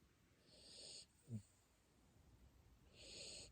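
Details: Sleeping Siberian Husky puppy in Japan snoring softly: two breathy, wheezing hisses about two and a half seconds apart, with a brief low grunt between them, in a quiet room.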